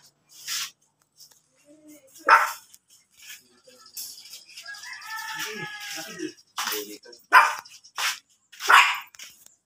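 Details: Blue Miniature Pinscher, a rare colour, in Pangasinan: short, harsh barks come singly with long silent gaps, about five in all, while a voice speaks briefly in the middle.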